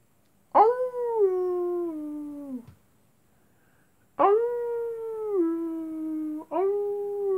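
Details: Wolves at night: two long, smooth tonal howls, each starting high and gliding steadily downward over about two seconds, separated by a pause, then a third howl begins with a sharp rise before levelling off.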